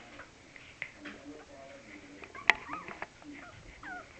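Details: Week-old Cavalier King Charles Spaniel puppies from Laura Belle's litter give brief squeaky whines and curling high whimpers, with a sharp click midway, in a quiet indoor room.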